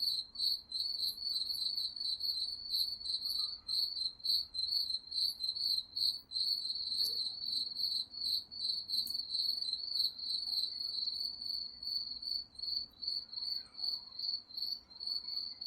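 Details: Crickets chirp steadily at night in the woods, a high, pulsing trill that runs without a break.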